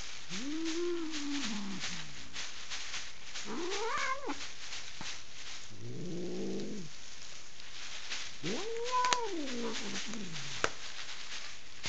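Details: Furious female pet cat on her owners' bed in Kitchener, Ontario, Canada, resisting being moved by a stranger painting the room. Four harsh, arched yowls swell and fade, with a lower wavering moaning growl between them and a constant rattly hiss behind.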